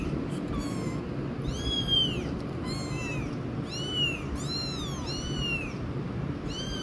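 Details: Loud cries of a kitten, with adult feline companions nearby. Rapid series of bright, bowed meows, each sweeping up and down, nearly continuous across the stretch, above low-pitched background hum.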